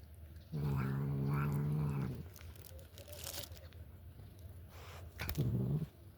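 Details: Domestic cat making strange noises while eating indoors: a low, steady, humming growl for about two seconds, then a brief second murmur, with wet chewing clicks and smacks in between.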